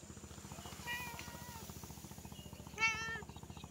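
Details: Cat while hunting for prey: a drawn-out meow bending in pitch near the first second, then a shorter, sharper, louder meow toward the end, over a fast steady mechanical pulsing throughout.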